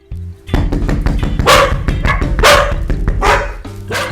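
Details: Female domestic dog barking at a knock on the door, the unwanted door barking targeted in training: loud, sharp barks roughly once a second, mixed with thumping knocks and background music.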